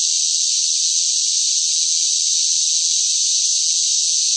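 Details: Cicadas loudly singing during a scorching summer: a bright, high, unwavering buzz sustained without a break, a pure insect drone.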